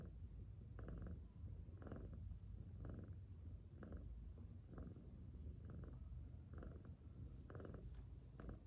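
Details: Peacefully sleeping cat gives a soft, low purr, each breath marked by a brief louder swell about once a second over a constant murmuring hum.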